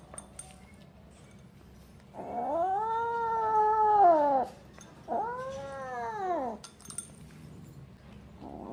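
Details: Pet kitten eating cat food and protecting it, making noises while it eats: two drawn-out, moaning yowls lasting about two and one and a half seconds, each rising then falling in pitch, with faint clicks and quiet room noise between.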